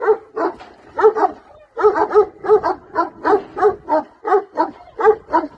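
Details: Bucovina Shepherd dog barking in a steady series of short, harsh woofs, often in quick pairs, about one every half second with a brief pause near the two-second mark; no other clear sounds.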